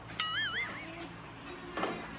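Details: On a very hot midday, a German Shepherd that barked to be let indoors and was scolded gives a high, wavering whine, rising and falling, while sulking.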